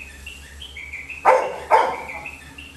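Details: Labrador Retriever puppy Little John on a terrace in a village, overexcited as his owner leaves home. Two abrupt, forceful barks about half a second apart stand out over a steady background of chirping birds.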